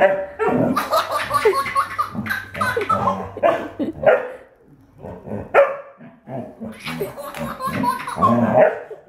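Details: Dobermann from a compilation of funny Dobermans giving a run of loud barks and whimpering yelps in irregular bursts, with human speech mixed in and background music faintly underneath.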